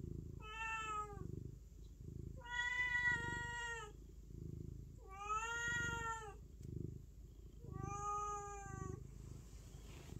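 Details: Four repeated cat meows, each roughly a second long and evenly spaced, steady and slightly falling at the end, with a soft purr running underneath.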